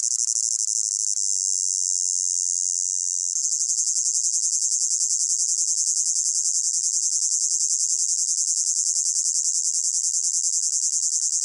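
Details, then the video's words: Summer meadow crickets on a hot day, layered into one ambience: an unbroken shrill trill, its pulsing growing quicker and more even after about three seconds, nothing else audible. "Sound of Crickets in a Hot Meadow"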